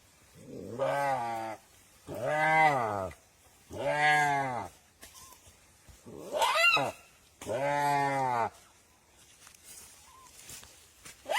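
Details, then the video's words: Deer crying with a series of five nasal, harmonic bleats, each about a second long and arched in pitch, spaced roughly every two seconds, with faint thin squeaks between them. "Som de veado chorando - Béééh"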